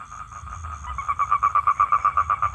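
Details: Male toad calling for a mate: quiet at first, then a run of loud, evenly spaced rapid pulses at one steady pitch, over a soft low rumble.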